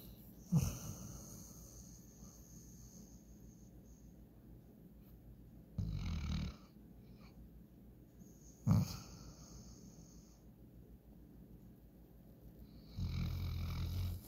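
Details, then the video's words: German Shorthaired Pointer named Walker, passed out asleep and dreaming, gives low rumbling snores in short bursts separated by long quiet stretches of soft breathing, with faint hiss in the background. "German Shorthair Pointer snoring"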